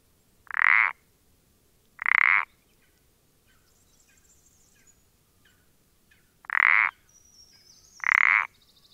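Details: Common parsley frog, dated 14-04-20, giving paired creaking croaks: four harsh notes in two pairs roughly 1.5 seconds apart, the pairs separated by quiet with faint soft ticking and a high thin call.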